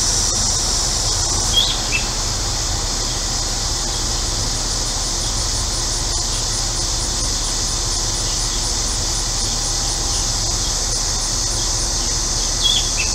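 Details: Cicadas on a hot day in central Illinois hold a steady, high, hissing drone that never breaks, with a few birds and a neighbour's air conditioner adding a low background rumble.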